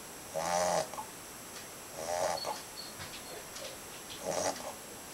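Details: Two-and-a-half-month-old Labrador Retriever puppy snoring: three soft, raspy breaths about every two seconds, each a brief buzzy rattle with quiet gaps between, over a faint room hiss.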